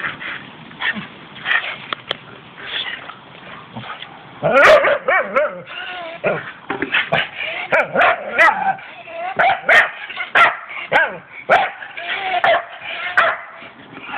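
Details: Staffordshire Bull Terriers, one named Alfie, playing together as pet dogs; rough growling and grumbling vocalizations with short yips and barks scattered through, bursts coming in uneven clusters, louder play-noise after the first few seconds.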